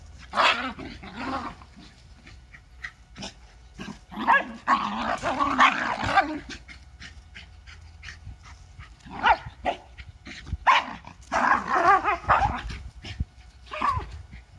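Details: Lakeland terriers Holly and Ville at play on a hot summer day, trading bursts of harsh growling and snappy barks in irregular clusters, with sharp clicks and quieter pauses between the rowdy exchanges.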